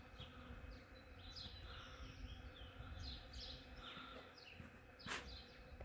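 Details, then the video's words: Hundreds of western honey bees foraging on an ornamental cherry tree in the morning make a steady, loud, low droning hum, with small birds chirping over it. "Ornamental cherry tree covered in BEES!! Awesome buzzing sound!"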